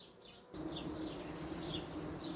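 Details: A large queenless western honey bee colony, heard after frames are moved, gives a loud, steady droning roar: the typical "crying" of bees without queen or queen cell, agitated wingbeats as if ventilating.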